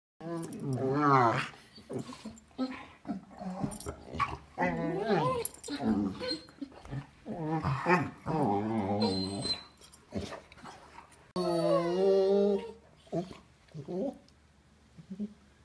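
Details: Two dogs communicating with strange sounds, the smaller female giving the lower-pitched voice; warbling, wavering, harmonic yowls and moans in bursts of one to two seconds with short pauses, some rising and falling like talking, plus brief high whines.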